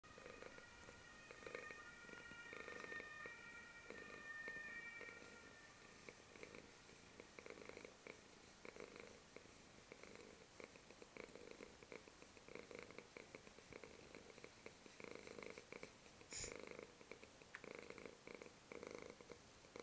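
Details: A black male domestic lap cat purrs steadily, a low rumbling throb that swells and fades with each breath.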